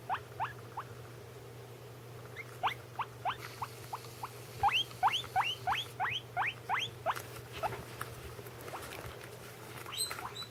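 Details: Domestic guinea pig, one of a pair kept as pets, calling indoors while the other eats: a rapid series of short rising squeaky whistles, about three per second, in bursts with brief pauses, over a steady low hum.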